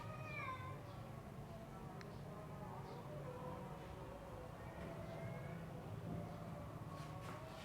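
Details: Extreme punch-face Persian cat meowing indoors: a harmonic, drawn-out meow at the start, then a softer wavering meow about five seconds in, over a steady low hum.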